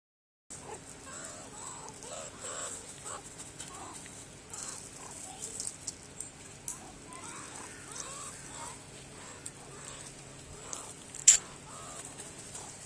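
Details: Meerkats (Suricata suricatta) give soft, short clucking chirps, repeated irregularly, with a faint hiss in the background.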